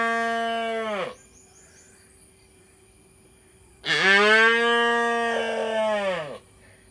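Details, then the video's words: Calf in an Indian village mooing: two drawn-out moos with rich harmonics, the first about a second long, the second louder and lasting over two seconds after a pause, with a faint steady high tone behind. "Cute Baby cow sound"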